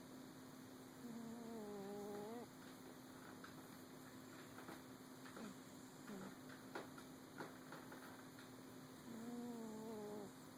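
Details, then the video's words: Snoring from a sleeping cat: two humming, overtone-rich breaths at the start and end, separated by a quieter stretch with scattered soft clicks and rustles, over a steady hum. "Snoring kitty"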